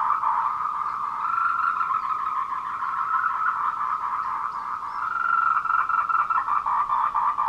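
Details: Calling tree frogs courting at 14:00, 26 April 2018, Meiling Wulong trail in Nanxi, Tainan, Taiwan, recorded on a Canon PowerShot SX720HS: an unbroken, dense buzzing chorus of fast pulsed croaks.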